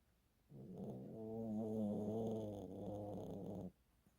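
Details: Old poodle sound asleep after tiring out, snoring despite the breed seldom doing so; a single rough, droning snore swelling for about three seconds with a wavering, slightly growly tone before fading to silence indoors.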